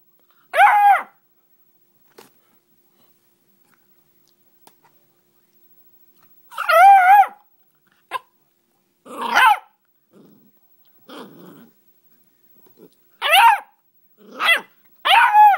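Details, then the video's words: Ten-week-old Beagle puppy barking and baying: drawn-out, wavering howl-like bays with clear layered tones, each under a second, in bursts spaced several seconds apart, with fainter short yips between and quiet gaps. "Beagle Puppy Baying"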